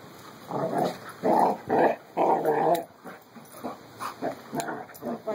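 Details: Playful growling between two puppies named Carlee and Sonny: several loud, gravelly bursts, each lasting about half a second, then softer, shorter grumbles trailing off.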